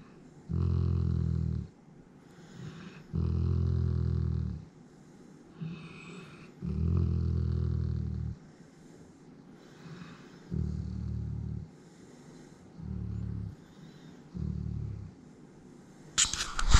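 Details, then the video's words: Alaskan Malamute Griz purring in a small room: a series of low, throaty rumbles, each roughly a second long and coming every two seconds or so. The bursts grow shorter toward the end, followed by a sharp knock. "Griz Purring"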